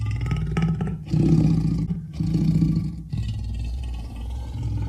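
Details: Leopard producing a resonant low rumble in uneven pulses, two distinct louder growling swells, then a steady deep drone, engine-like throughout.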